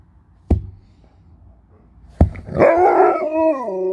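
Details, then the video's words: Talking Alaskan Malamute Sherpa, indoors, apparently telling its owner it is hungry: two sharp knocks, then a sustained harmonic howl-like woo lasting over a second, bending up and down before leveling off. "You'll never get bored living with a Talking Malamute"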